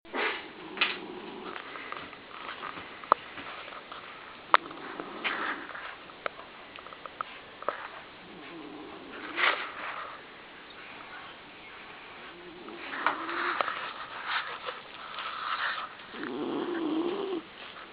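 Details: A 17-year-old male smooth-haired black and tan Dachshund sleeping in his bed snores in a quiet room, rough, wheezy rasps and snuffles rising and fading at an uneven pace a few seconds apart, with faint clicks between.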